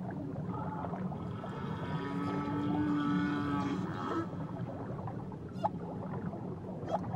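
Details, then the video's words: Whale off Tahiti singing a sustained, even tonal moan lasting about a second, layered over higher harmonic wavering notes, all within a constant low underwater rumble, with a few sharp clicks afterwards. "Nature Sounds Only Whales & Beaches"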